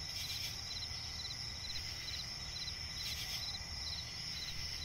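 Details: Crickets in a night-time swamp forest keep up a constant high trill, with short chirps pulsing rapidly in regular groups. Brief breathy bursts punctuate the chorus over a faint low rumble.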